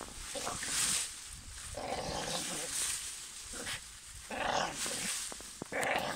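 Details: A Staffordshire Bull Terrier that dislikes a garden tree barks at it in harsh, broadband bursts, repeated irregularly about once a second.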